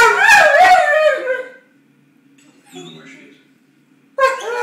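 A Weimaraner 'talks' with wavering, whiny howl-like yowls, demanding its ball.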